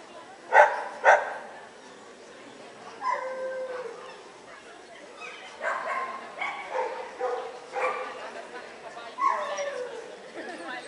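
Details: Samoyed at a CACIB international dog show in Lithuania, 25 October 2009: two sharp barks close together near the start, then a long stretch of tonal, voice-like sounds and hall chatter.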